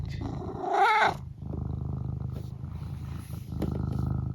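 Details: Eric, a pet cat, lets out a short rising, harmonic-rich mrrp lasting about half a second, then settles into a steady low rumbling purr that continues to the end, its level lifting slightly in the last second.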